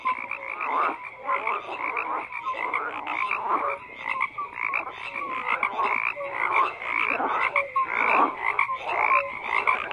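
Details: Frogs croak in a thick, continuous chorus, with raspy pulsed calls overlapping and short whistle-like notes scattered among them.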